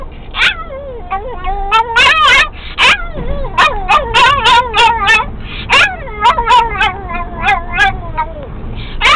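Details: Pet dog Pixie singing with excitement as a moving VW Beetle gets going: wavering, yodelling whines and yips, rising and falling, broken by sharp gobbling yelps in quick runs, like a turkey's gobble, over low engine rumble.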